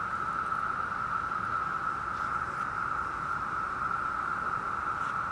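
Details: 17-year periodical cicadas, millions emerging in the woods and trees for a few weeks, form a massed chorus: a steady, howling, droning whine up to 90 dB that fills the forest without a break.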